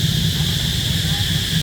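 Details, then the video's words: Cicadas hidden in trees give a loud, steady, high, unbroken drone, with low wind rumble underneath. "Tôi chỉ muốn chia sẻ với bạn âm thanh của những con Ve sầu này, Con ve sầu? Tôi không chắc chúng phát âm như thế nào,"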